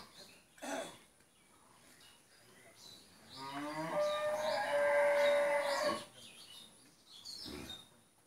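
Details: Friesian cow, four teeth old, first calving, kept with a heifer calf on a Bangladeshi dairy farm in Pabna, lets out a long, steady, rich moo of about two and a half seconds, with faint bird chirps in the background.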